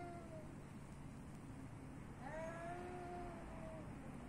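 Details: A street cat in Athens, Greece, gives one long, clear meow that rises and then slowly falls over about a second and a half. A faint earlier mew comes before it, over a steady low rumble.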